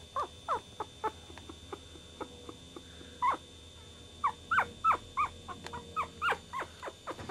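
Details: Chihuahua puppy giving thin, high whimpers and brief squeaks, sparse and faint at first, then a steadier string of short rising whines roughly every third of a second.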